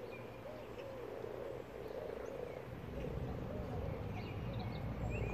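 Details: Chorus of common frogs, over 100 spawning in a garden pond, a soft continuous purring croak mass with low rumbling background and a few faint bird notes above.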